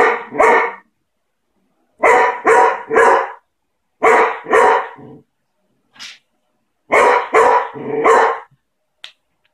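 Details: Beagle barking aggressively and loudly in tight volleys of two or three harsh barks, each volley separated by about a second of silence, with one lone short bark in between.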